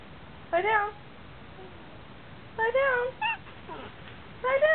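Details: A Basenji–Chihuahua mix dog, given commands like lie down while needing to go out, gives bursts of tonal, quavering, high whines that rise and fall, with pauses of a second or two between them.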